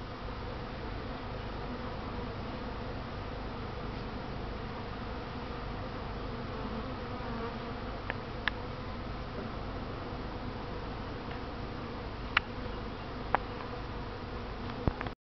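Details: Honey bees, thirsty, gathered to drink at a tub filled for bathing; continuous even, low humming drone throughout with occasional faint ticks and splashes.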